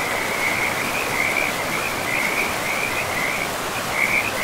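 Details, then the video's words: Frogs by a river deep in a pristine forest with moss-covered ground, giving a continuous high, rapidly pulsed trilling with small swells in loudness, set against an even wash of streaming water. "River and Frogs sleep sounds"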